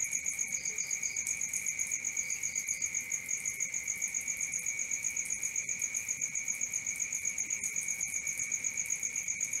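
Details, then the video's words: Steady night chorus of crickets, even rapid chirping about four times per second over a high ringing tone, joined early on by a few short bursts of triple chirps. "Cricket 1 hour for Sleeping & Relaxation"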